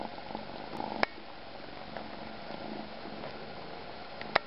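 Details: Kitten named Catsanova, adopted through Kalamazoo Animal Rescue, purring softly and steadily indoors, with a couple of sharp clicks near one second and again near the end.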